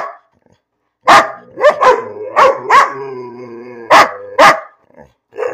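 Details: Pet dog Bean barks for no reason: a loud sharp bark, then several yappy barks with drawn-out whining tails, two more crisp barks near the end, and a soft final yap.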